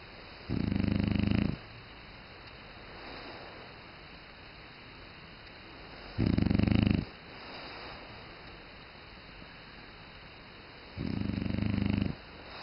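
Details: French Bulldog snoring indoors: three loud, low, rasping snores about five seconds apart, each lasting roughly a second, with softer breathing between them over a steady background hiss.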